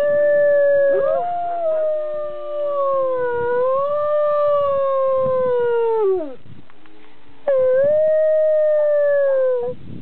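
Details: Pet dog howling together with its owner; long drawn-out wavering howls, smooth and tonal, sliding down at the end of a long phrase, a brief pause, then another steady howl.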